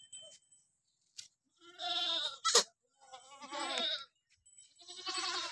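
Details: Barbari goats at a farm in Bidhuna, Auraiya, Etawah, Uttar Pradesh, giving three drawn-out, quavering bleats, each about a second long, with a sharp click or knock between the first two.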